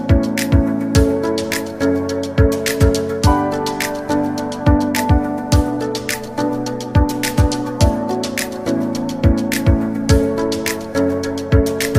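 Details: Gentle instrumental music with a steady plucked beat and sustained tones, with no animal sound present.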